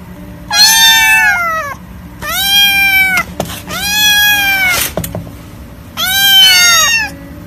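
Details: Four long, loud kitten meows, each lasting more than a second, rise slightly and then sag. They are spaced by short quiet gaps, from kittens said to be hungry, scared, lonely or angry.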